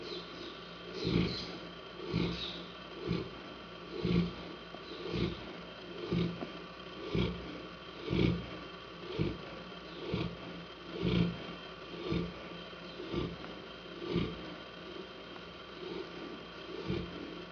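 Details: Hanna, a Saint Bernard, snoring: rough, breathy snores repeat steadily about once per second, each a short low rumble with a noisy upper edge, over a faint constant hum.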